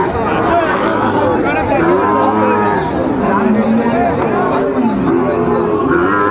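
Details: Sahiwal bull calves, around six months old, at Ambari cattle market on 4/4/25, low drawn-out moos overlapping from several animals amid steady crowd chatter and bargaining voices.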